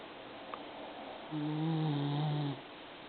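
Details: Pet Maltese dog, a female, snoring indoors like an old man: one long low droning snore of about a second, with steady harmonic bands, against quiet room hiss.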